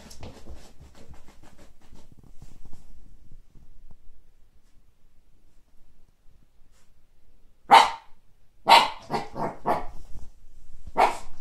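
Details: Siberian Husky puppy named Kake, meeting a frisbee for the first time; quiet rustling for several seconds, then a burst of sharp, high, yappy barks in quick uneven succession near the end.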